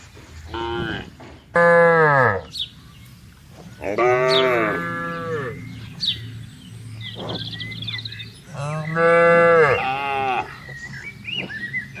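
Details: Tame grazing cattle out on broad green land moo to call the herd together: several drawn-out, rich moos spaced a few seconds apart, some sliding downward, over a low rumble with scattered bird chirps.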